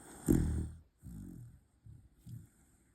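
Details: Pembroke Welsh Corgi named DongBaek asleep and snoring: one loud snorting rasp, then three softer, shorter rumbling breaths within three seconds.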